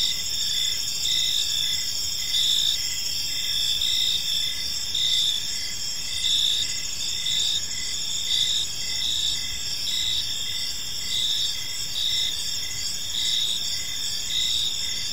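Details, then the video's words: Crickets chirping on an evening in a peaceful park: a steady, high-pitched ringing chorus with pulsed chirps repeating about once a second, layered over a constant shrill background buzz. "Cricket Sounds in a Peaceful Park"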